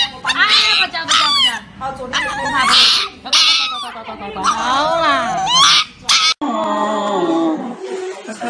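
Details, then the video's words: Dog crying on the way to an injection: a series of high, wavering whines and yelps in short bursts about a second apart, with a brief pause before a lower, steadier drawn-out cry at the end. "Dog crying While going for Injection"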